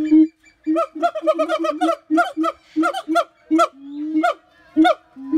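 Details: Siamang giving a run of short, harmonic barks in irregular clusters, some rapid and stuttering, with a longer level hoot near the end.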